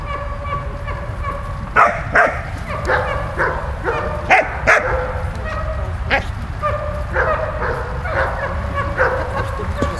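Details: Dog Malta at play with Bulat, giving scattered sharp barks and short yips at uneven intervals, with human voices talking in between and a constant low background hum.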